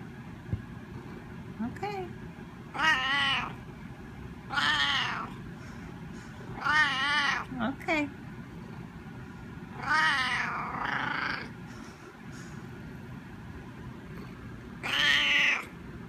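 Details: A Siamese cat gives loud, drawn-out, wavering meows, repeated every couple of seconds, asking for a cookie treat.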